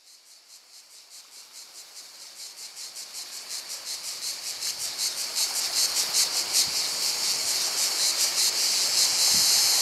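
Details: Cicadas calling by the sea at Portonovo: a dense, hissing high-pitched buzz pulsing in steady beats, about two and a half per second, growing steadily louder through the clip.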